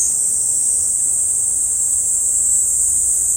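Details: Summer cicada chorus: an intense, continuous high hiss-like whine with no pauses, steady in pitch and loudness from start to end.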